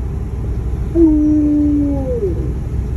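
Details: Alaskan Malamute Tonka howling in sadness: one drawn-out, steady wail held for about a second, then sliding downward and fading, over a constant low rumble.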